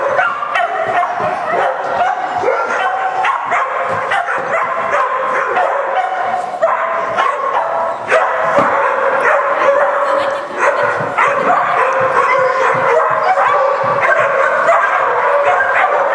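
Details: Smooth Collie Blue Planet Leneli "PeeTee" barking during defence training at the 2008 Kratand smooth collie gathering; rapid, uneven barks and yips, nearly two per second, over steady background chatter from people.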